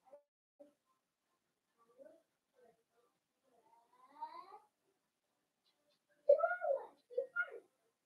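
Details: Indoor puppy pen where five blenheim Cavalier King Charles Spaniel puppies play with their mother Paris; soft clicks and squeaks give way to a rising whine, then loud, sharp harmonic yelps in a quick burst before silence.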